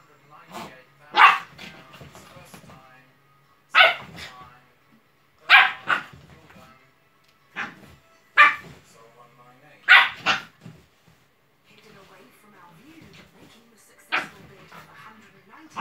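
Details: Staffordshire Bull Terrier puppy playing wildly on a sofa with a blanket, giving short broadband barks and grunts at irregular intervals, about seven loud bursts spread across the stretch, with quieter rustling between.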